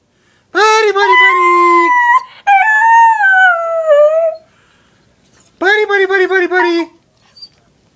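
A Cocker Spaniel howls in long, wavering, tonal notes with rich harmonics.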